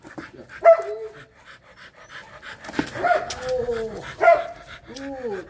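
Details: Rottweiler during mating, giving short tonal whines that bend downward, with soft rhythmic panting breaths between them.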